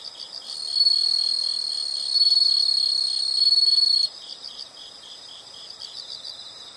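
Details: Insects calling in a nature soundscape: a loud, steady high trill of about three seconds, then softer rapid pulsing chirps from other insects continuing in the background.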